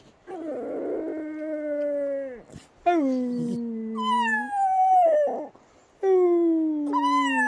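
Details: Pet Patterdale Terrier singing: long tonal howls with rich harmonics, each held one to two seconds, some sliding down at the end, others stepping upward, separated by short breaths and pauses.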